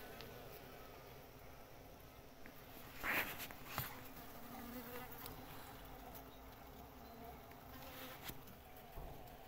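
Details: Honey bees (Pahadi makhi) building comb and storing honey at a natural nest fill the air with a continuous, low, steady buzzing drone, with a couple of short, sharp knocks around the middle.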